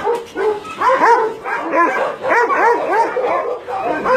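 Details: Dogs at a Nonsan, South Korea meat farm and puppy mill, January 2017; arched, rising-and-falling whining yelps repeated several times a second, backed by more barking from the crowded kennels.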